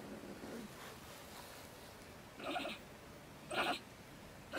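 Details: Angry female stone marten at her woodpile home next to a shed in Germany, raving at night around 10 pm; two short harsh bursts about a second apart after quiet rustling, with another starting at the end.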